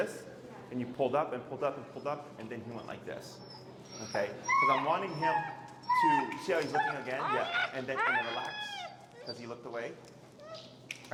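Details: Extremely vocal feral husky named Finnegan protesting during heel training: a run of curving whines and yips, some rising then falling, sounding irregularly through the clip, with a trainer's voice mixed in.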